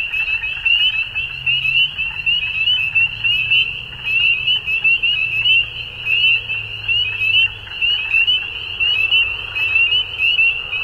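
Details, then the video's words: Chorus of frogs at dusk, an unbroken shrill trilling drone made of countless overlapping pulsed calls, plus a soft low hum wavering in the background. "Frogs At Dusk"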